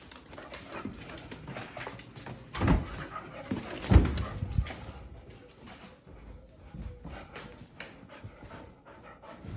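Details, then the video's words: Belgian Malinois at play indoors in Mexico, two dogs together, breathing in soft, rapid pants with a couple of louder thumps and short whimpers near the middle. "Two Sweet Malinois Dogs Playing Around in House"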